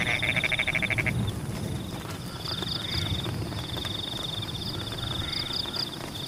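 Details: Frogs calling in the rain in Pematang rice fields: a burst of rapid nasal, bleating croaks in the first second, then a steady high pulsed trill with chirps over the constant hiss of rainfall.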